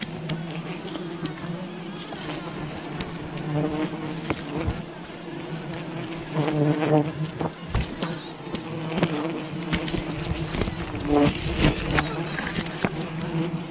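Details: Wild bees buzzing during honey hunting: an unbroken low drone that swells louder about halfway through, with occasional knocks and rustles from the colony being harvested.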